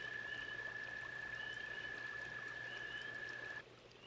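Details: Toad at a pond giving a steady, high, rapidly pulsed trill that stops near the end, over trickling water and some short faint chirps.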